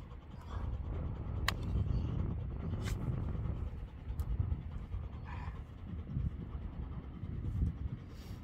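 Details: Beertje, an older Labrador Retriever, panting heavily while roughhousing in play; steady breathy huffs over a deep low rumble, broken by a few sharp high clicks and thumps.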